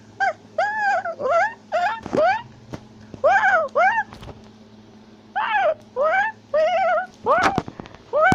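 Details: Tufted capuchin in South America shouting and chattering while climbing a tree; dense, rapid series of arched, yelping harmonic calls in clustered bursts, a couple of sharp knocks, and a steady low background hum.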